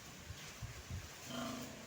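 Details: Sow on a farm being bathed after her piglets were weaned, giving two short, deep grunts followed by a brief, steadier low tone over steady background noise.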